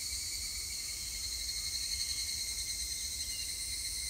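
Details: Evening cicadas (higurashi) recorded on 3 August 2021 in Japan give a continuous, shrill ringing of overlapping voices in several high bands, with a faint low background rumble.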